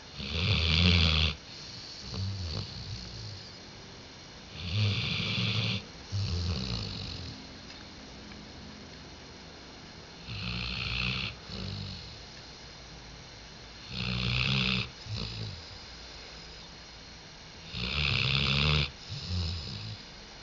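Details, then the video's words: Sleeping dog Diesel, recorded on 5 October 2011, snoring steadily: roughly six harsh, rattling inhalations every three to four seconds, some followed by a shorter softer snort, with quiet breathing between. "Дизель Храпит"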